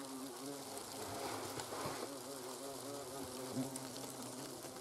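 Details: Hornets at the nest in autumn, during the destruction of the autumn brood when young queens and drones have hatched: a continuous low droning buzz with steady hum, several insects overlapping, faint ticks and rustles.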